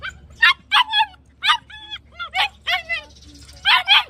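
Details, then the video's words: German Shepherd dog barking in short bursts, eight or nine sharp barks spaced irregularly, with a few whining, tonal yelps in between and a faint low hum underneath. "gsd barking |gsd barking sound"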